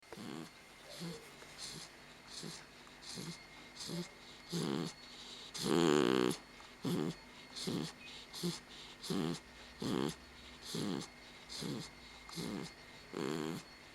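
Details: Pit bull dog asleep indoors after a bath, snoring loudly: rhythmic snorts roughly every second to a second and a half, each a short low rasp with breathy hiss above, one much louder snort near the middle.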